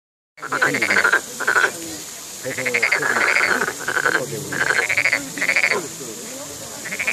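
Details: A frog calling in short pulsed, trilled bursts, each about half a second to a second long, repeated in quick succession with brief gaps, over a steady high-pitched hiss; a person speaks afterwards.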